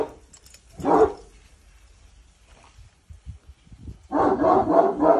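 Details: A Cane Corso named Boçi, in training to follow commands, gives one sharp bark, pauses through faint shuffling, then lets out a rough, sustained run of barks.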